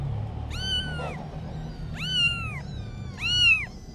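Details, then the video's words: Kitten giving three clear, drawn-out meows about one and a half seconds apart, each rising slightly then sliding down at the end, over a soft low hum. "Little Kitten Adventures (New Video) - Kitty Video Meowing"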